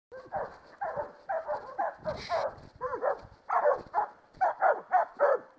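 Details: Catahoulas bailing a creek boar in 2012: a run of about a dozen loud, hoarse barks spaced roughly half a second apart, with a short noisy burst near the middle.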